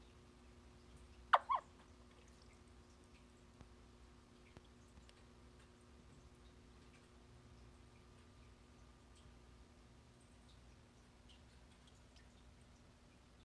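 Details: Vietnamese mossy frog male guarding eggs after spawning gives a single abrupt double-noted click-chirp, the second note softer, followed by long quiet with a constant low electrical hum.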